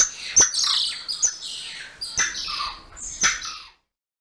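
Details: Golden lion tamarin giving four short bursts of high chirping calls, each opening with a sharp click and trailing into quick descending squeaky notes, spaced about a second apart.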